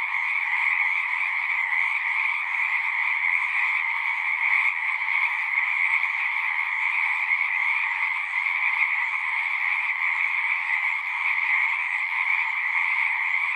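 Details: Frog chorus of many callers, a constant rattling trill that barely changes in loudness. Its fine rapid pulsing rides on a lower and a higher band, and nothing else is audible.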